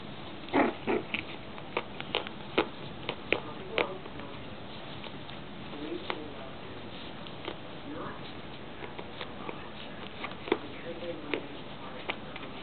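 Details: Six-week-old Yorkshire Terrier pups tugging and chewing while teething: short soft snuffles and low grunts mixed with scattered sharp clicks and scrapes of chewing, over a steady background hiss.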